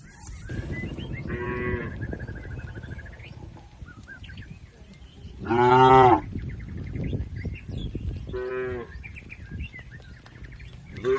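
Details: Grazing village cattle in a green field, part of a tame, healthy herd, give three separate moos, the middle one loudest, over steady low rumbling background noise and faint chirping.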